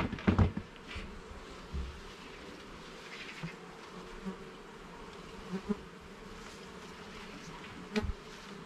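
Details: Honey bees humming steadily inside a garden hive during inspection of levels and frames, a dense droning buzz with a cluster of knocks at the start and scattered clicks later.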